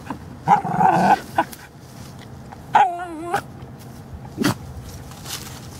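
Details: A female Cairn Terrier, recorded in November 2016, gives short, whiny yips and a wavering, drawn-out moan, as if talking back while being silly.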